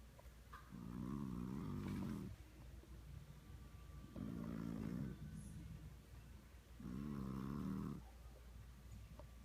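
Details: Domestic cat snoring like a buzz saw: three loud, rough, vibrating inhaled snores about three seconds apart, each lasting over a second, with quiet pauses between.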